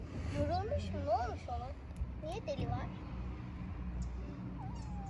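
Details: Stray kitten in Istanbul, homeless and hungry, meowing while being fed: a run of short arched mews, then a longer falling mew near the end, with Turkish speech and street noise underneath.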